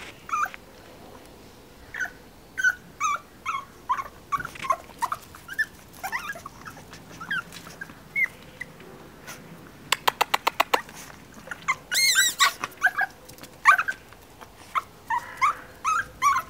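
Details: Chihuahua puppies at a kennel in Moscow or Lobnya give a steady run of short, high yips and whimpers, several per second. A quick burst of clicking sounds about midway, and a soft voice is heard earlier.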